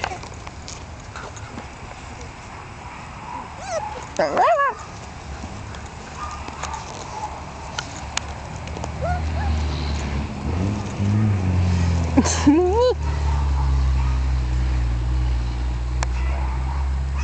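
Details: Jack Russell Terrier male puppies, 1.5 months old, from two sister litters sharing a father, playing together: short, high yips and whines that rise and fall over a low hum.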